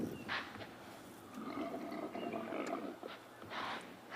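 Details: Impala rams rutting and fighting during the mating season on a chilly, damp late afternoon on 9 March, after a heavy downpour, give harsh, rasping roars and snorts in three bursts, the middle one long and gravelly, over a quiet outdoor background.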